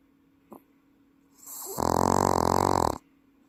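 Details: Pet Welsh Corgi asleep in Paju, South Korea: a short faint sniff, then an inhaled snore swelling into a loud, rattling, human-sounding buzz of about a second before stopping.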